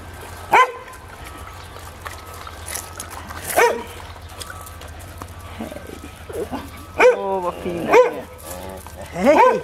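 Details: Podenco Ibicenco dogs in their enclosure on Ibiza, a little green from fresh paint. A few short, sharp barks stand out against steady low rumbling from road repairs nearby, with a man's voice and laughter between them.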